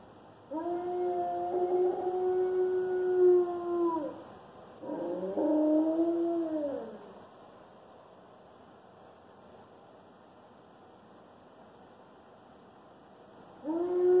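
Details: One-year-old Alaskan Malamute named Loki giving his first howls: two drawn-out tonal howls, the first level and sustained, the second shorter with a wavering rise and fall, then a quiet pause before another howl begins.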